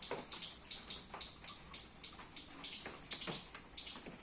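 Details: A squirrel eating baby coconuts in a garden during rain gives rapid, high, sharp chips in an uneven repeating series.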